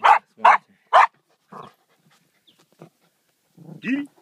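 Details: Working Jack Russell terriers hunting, dragging a fox out of its den; three loud, sharp barks in rapid succession, followed by softer scattered yelps and a brief human voice at the end.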